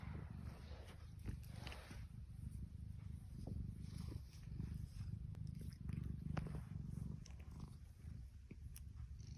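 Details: Happy female tuxedo cat purring: a continuous deep rumbling purr held steadily throughout, with faint clicks and rustling handling noises above it.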